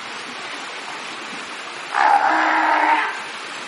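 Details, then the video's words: Several fur seals swimming in a pool make noise; one gives a single loud, hoarse bellow lasting about a second over a steady background hiss. "Kotiki hałasują :) / Fur seals making some noise :)"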